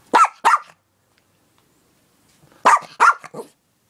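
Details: Household dog barking to be given a treat, two quick loud barks in a pair, a two-second pause, then a burst of three barks, the last one weaker.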